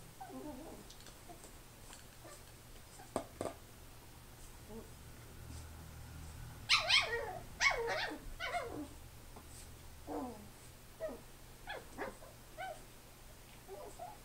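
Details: Chi-poo puppy named Grandpa going crazy indoors, giving scattered high, squeaky yips and whiny barks, with a denser burst of sharp yelps midway and softer whimpers trailing after.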